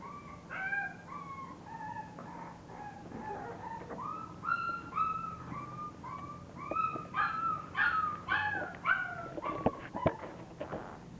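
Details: A litter of English bulldog puppies crying loudly: strong, wavering whines and yelps rising and falling, overlapping from several pups and growing more insistent toward the end, with clicks and a faint hum.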